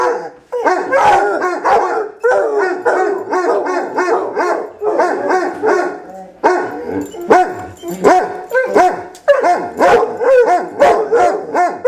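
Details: Howl-off between two Basset Hounds: bursts of rolling, quavering bays a second or two long, separated by short gaps, with sharp barking yelps mixed in as the dogs answer each other.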